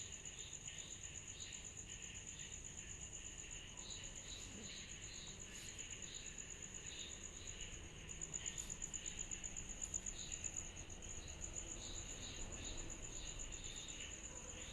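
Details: Cicadas chorusing on a summer night: a continuous, finely pulsed high-pitched trill runs throughout, overlaid by softer, lower chirps repeating about four times a second, growing slightly louder midway, over a faint low background hum.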